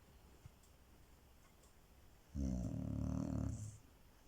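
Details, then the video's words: Loud snoring from a Chow Chow inside a small room: after quiet breathing, one long, rough, throaty snore lasting over a second, rich in buzzing low tones. "Snoring dog"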